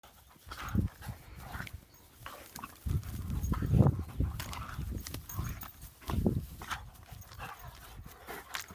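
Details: Lurchers wrestling in play, making low rough growls and grumbling snorts with panting and scuffling, rising and falling in bursts throughout.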